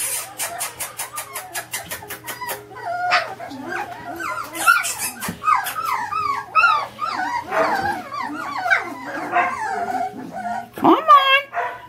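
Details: Four-week-old Samoyed puppies from a litter of eight, five females and three males, born December 17, 2012. Rapid clicking opens the recording, then many overlapping high, wavering whines and yelps follow, with a woman coaxing them.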